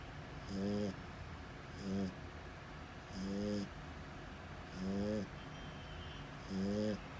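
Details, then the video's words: Sleeping French Bulldog snoring loudly: five long, rasping snores, one about every one and a half seconds. Each is a buzzy nasal rumble with a faint high hiss, and the room is quiet between breaths. "FRENCH BULLDOG LOUD SNORING"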